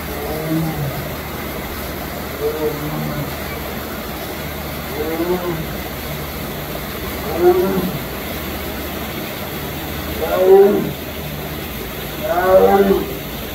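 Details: Captive Sumatran tiger at Memphis Zoo calling with short, rough moaning sounds repeated every two to three seconds, the last few louder and longer, over a steady background hum.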